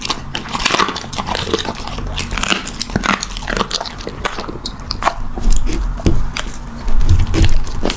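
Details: Puppy eating, heard as sharp clicking crunches scattered over a heavy, low rumble of handling and chewing noise, louder toward the end.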